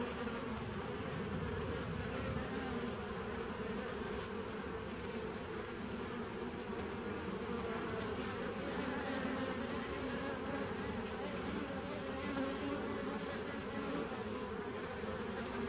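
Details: Bees of a nucleus colony started in 2017, recorded on 27 September 2018: a steady, dense, low droning hum of many insects, unbroken for the whole stretch, with a few faint higher tones drifting through it.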